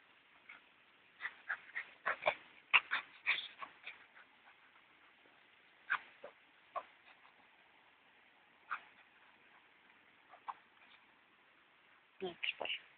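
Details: Alfy, a Cocker Spaniel, gives thin, high whimpers and short yips, first in a quick, crowded cluster, then as scattered single yelps separated by pauses, closing with another brief flurry.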